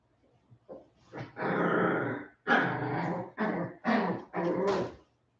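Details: West Highland White Terrier puppies, 47 days old, indoors after an outdoor break; rough, raspy growling in long bursts of about a second each, five or six bouts with short gaps between them, small room ambience.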